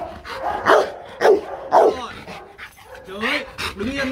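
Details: Marvin, a Rottweiler, on his first try at being trained for fun to bark on command, gives three loud, sharp barks about half a second apart amid a person's voice.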